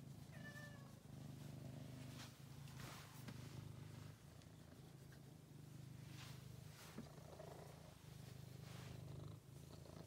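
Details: Continuous low purr of a rescued male cat found starving in a basement, now a pet. The steady rumble swells and dips with each breath, and faint higher squeaky notes appear near the start.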